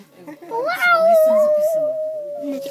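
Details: A dog met on a train sings: one long howl that swoops upward, then holds a steady, slightly wavering pitch for about two seconds, with children and adults talking quietly underneath.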